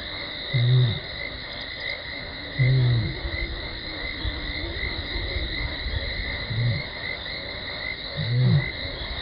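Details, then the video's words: Lioness Talamati contact calling before running in to Gowrie dam waterhole, Djuma Game Reserve, Sabi Sand Wildtuin, South Africa, 17 December 2020, live camera: four deep, short, arched moans roughly every two seconds over a steady high insect or frog drone. "Lioness(Talamati) runs in from the left after contact calling heard"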